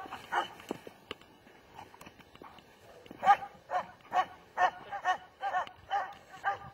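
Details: A German Shepherd dog gives a few scattered barks, then settles into a steady run of sharp, evenly spaced barks about twice per second.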